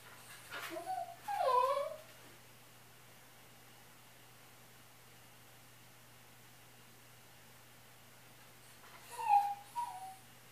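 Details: A dog left alone at home as its owner leaves, giving two short high whimpers with rising and falling whines, about eight seconds apart, with a quiet room and steady low hum in between.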